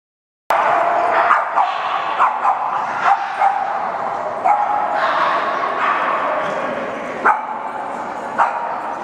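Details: Boston Terriers at a gathering of a Chicago Boston Terrier meetup group, a crowd of dogs yapping together: dense overlapping high-pitched barks and yips forming a continuous din, with sharper single barks standing out every second or so.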